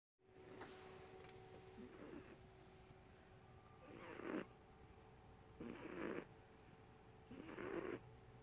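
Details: Sleeping pet cat snoring loudly, tongue sticking out; soft rasping breaths about every two seconds, growing louder and harsher in the second half, with a faint steady hum indoors.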